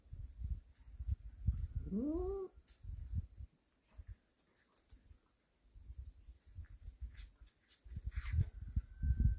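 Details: Cat of a warehouse cat family, one of whom brings home a snake; a single drawn-out meow about two seconds in, rising then sagging with clear stacked harmonics, over low thumping handling noise and rumble.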